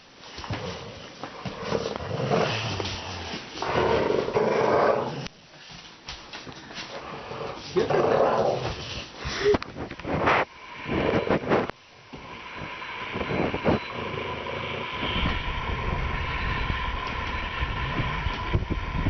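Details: Ruby, a 2-month-old Dogue de Bordeaux puppy, plays tug with Bubba, an American Bulldog, indoors. Rough, noisy growling comes in bursts lasting a few seconds, with quieter gaps between and a steadier rumbling stretch near the end.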